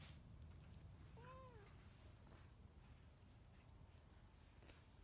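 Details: A senior female Siamese cat at a shelter in New Mexico gives a single clear meow that rises and then falls, over a low background rumble.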